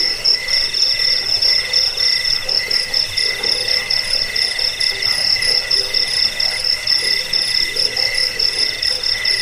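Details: Crickets offered as a rat-repelling, sleep-inducing sound and as a tutor for songbirds. Several overlapping callers produce high, pulsed chirping in stacked shrill bands, with steady trilling running through the whole stretch.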